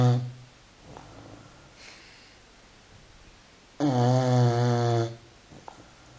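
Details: Five-month-old Continental Bulldog named Filby snoring indoors during a beauty sleep; one short rasp at the start, then a single loud, deep, buzzy snore lasting over a second near the end, with quiet breathing between.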